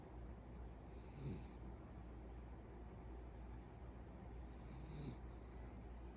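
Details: Sleeping pet Beagle, a heavy snorer said to grow as loud as a middle-aged man; two rasping, hissy snores nearly four seconds apart over a low background hum.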